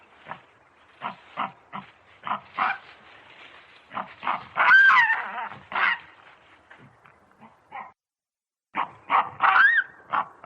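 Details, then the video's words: A baboon calls in a series of short, harsh grunts. A louder strained call comes near the middle, followed by a pause and a final burst of rapid calls. "Tunog ng BABOON | Sound of BABOON"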